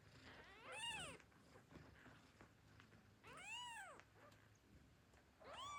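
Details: Newborn kittens wake hungry and mew for their mother at feeding time. Three separate high, arched mews are spaced about two seconds apart, with faint rustling between them.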